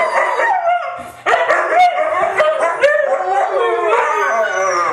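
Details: Three white huskies howling together in a group sing-along: overlapping wavering howls with rich harmonics, voices rising and falling and starting at staggered moments, a sharp entry near the first second, continuous chorus throughout.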